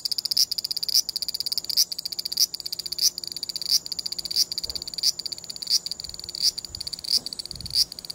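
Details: Large brown cicada giving the broken "gi-gi-gi" song linked to moving about, recorded on a compact digital camera. Rapid high grating pulses carry a stronger accent roughly every two-thirds of a second, with faint low background noise.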